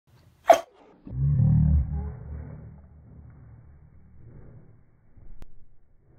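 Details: A single sharp, explosive sneeze from a Rottweiler, a brief broadband burst followed by a low, rumbling snort and breathing that fades over several seconds, with a faint soft thump near the end in a quiet indoor space.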